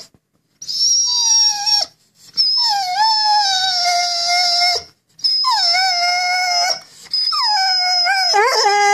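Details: Vizsla house dog 'telling a sad story' of his lost fish chew toy: three long sustained howl-whines, each starting higher and sliding down to a steady tone, the last breaking into wobbly yodel-like turns.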